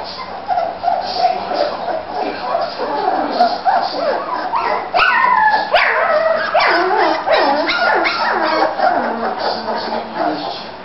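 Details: Bulldog puppies three weeks old, in Florida, romping and playing as a litter; shrill yips, whimpers and falling whiny cries pile up rapidly and irregularly, growing louder and denser midway, with several pups calling at once.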